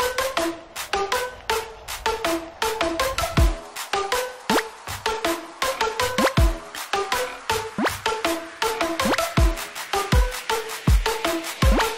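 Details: Electronic dance music with punchy beats and sharp plucked notes fills the whole stretch, with no animal voice.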